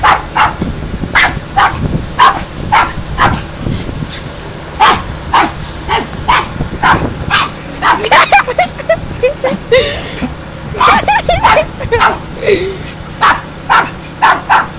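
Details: Dog barking loudly in a long, dense series of sharp, broadband barks, some doubled in quick succession, with a stretch of softer whining yelps around the middle and faint background murmur.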